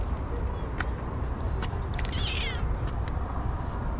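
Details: Black cat, likely a stray, met in front of a hot dog stand, growing friendly while being stroked; one short, faint, wavering meow near the middle over steady low traffic-like rumble and scattered clicks.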